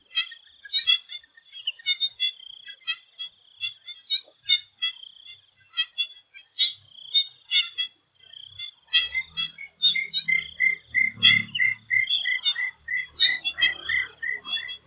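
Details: Frogs in a Thai swamp before sunset, a crowded chorus of rapid clicks and nasal bleats from many callers; later a lower, evenly spaced series of pulsed notes joins in, with a steady high hiss behind.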